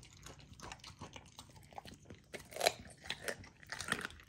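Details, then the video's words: Raw dog food, some of it frozen, crunched by a young female Golden Retriever indoors; soft chewing builds to a few loud, crisp bites in the second half. "Raw Dog Food MUKBANG for my Puppy! ASMR EATING SOUNDS"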